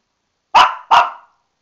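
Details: Female Shih Tzu indoors, angry at being put in the bathtub for a bath and unable to get out, gives two sharp, loud barks in quick succession.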